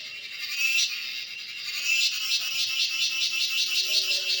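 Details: Cicada buzzing in natural surroundings: a steady, high, raspy drone that grows more rapidly pulsed toward the end.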